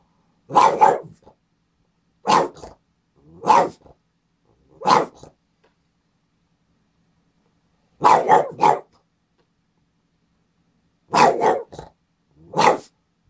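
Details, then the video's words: Boston Terrier barking excitedly indoors while its owner sits at a computer, behaviour repeated for days when the owner visits; sharp barks, often in pairs, spaced irregularly with pauses of one to three seconds. "Boston Terrier going crazy"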